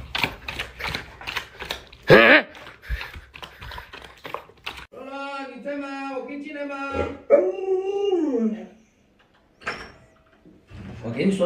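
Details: Alaskan Malamute named Lolo, a pet dog indoors, reacting to its owner's prank of pretending to stew a puppy: after chatter and human talk, a drawn-out harmonic howl-like whine wavers and rises, then breaks off into quiet.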